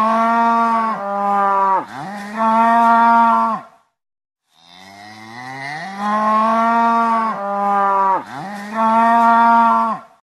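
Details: A cow gives two long, loud moos, each a sustained low bellow that bends and swells.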